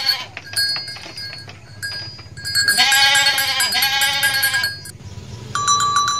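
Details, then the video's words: In Indonesia, a mother goat lets out a loud, trembling bleat of about two seconds, split into two pulses, amid persistent high-pitched ringing tones and clatter before and after. "INDUK KAMBING LUCU BANGET BIKIN NGAKAK | SUARA KAMBING"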